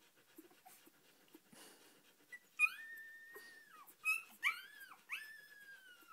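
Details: Four-day-old Australian Shepherd puppy being petted, giving high thin squeaky whimpers from about 2.5 seconds on, several rising then falling cries in quick succession with quiet rustling between.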